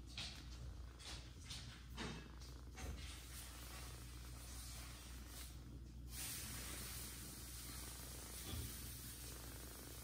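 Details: Mother cat Jaco feeding adopted kitten Kira beside her own three newborn kittens; a continuous deep purr hums under the whole stretch, with brief rustles and a burst of broadband noise around the middle.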